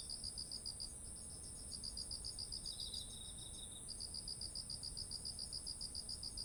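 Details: Autumn night-field insects near ripe rice: brisk repeated high chirps about eight per second, pausing once for a short lower trill, against a continuous shrill buzz and faint low rumble.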